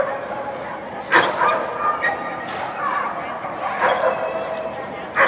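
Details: Mystic, a Standard Poodle, during an AKC Jumpers With Weavers agility run in October 2013, gives a few sharp, separate barks spaced over several seconds against a steady hum of indoor crowd noise and talking.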